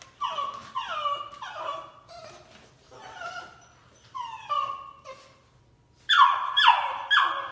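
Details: A dog yips and barks in quick bursts of two or three, each note dropping sharply in pitch, with pauses between bursts. The final bursts are the loudest and highest, and the setting is an indoor room.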